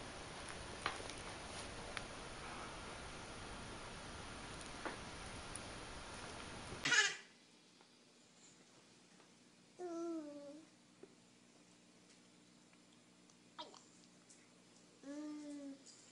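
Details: A cat in a home setting gives two drawn-out, wavering meows about five seconds apart, each sliding slightly in pitch. Steady hiss-like noise cuts off abruptly before them, leaving an otherwise quiet indoor room.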